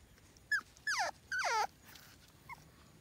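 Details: Red, a French Bulldog puppy born to Ebi, whimpers in three falling, whiny cries, each sliding downward and the last the longest, followed by a faint short squeak.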